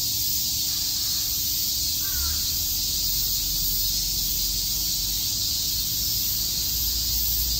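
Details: On a summer day in Shakujii Park, Tokyo, cicadas fill the air with a dense, unbroken high-pitched hiss that never pauses.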